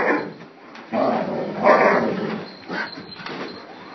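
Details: Pet dog named Gryphon barks at the vacuum inside the home, giving a string of sharp, loud barks around one to two seconds in, then a shorter bark near the close over a low room hum.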